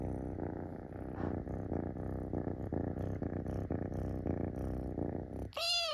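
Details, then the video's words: Munchkin kitten climbing onto a person's belly and pleading to be petted: a steady, rhythmic low purr for five seconds, then a short, clear, high meow that rises and falls at the very end. "『撫でて！』と迫ってくる子猫の鳴き声がかわいすぎる💓 Munchkin Kitten Meowing"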